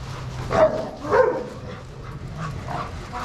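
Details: Dogs playing together in a shelter yard at Pima Animal Care Center, Arizona, watched by handlers: two sharp, harmonic barks about half a second apart, then softer, scattered yips and faint background chatter.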